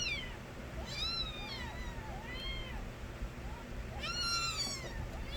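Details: Loud crying from stray kittens born to a street cat called Nabi. Bright bending meows overlap in two bursts, one near the first second and a denser chorus around four seconds, with softer wavering calls between over low rumble.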